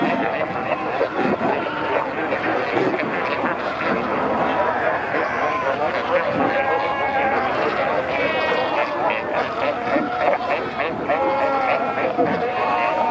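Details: Namibian fur seals at Pelican Point, Walvis Bay, met while kayaking, with many pups born in recent days: long, wavering, tonal bleats rise and fall over a continuous rumble of many overlapping voices.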